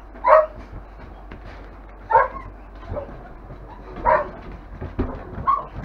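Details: Five-week-old longhaired German Shepherd puppies from a kennel litter, giving short high yelps and whines roughly every two seconds, with softer whimpers between them.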